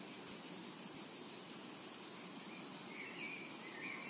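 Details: Cicadas calling in a tranquil summer meadow: a steady, dense high-pitched hiss runs unbroken throughout, with a few faint whistled bird notes appearing near the end.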